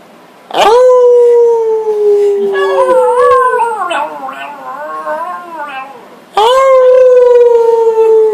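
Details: Indoors in August 2012, the family dog Frito joins a group howl: two long sliding howls bracket a wavering, mixed stretch of dog and human voices howling together.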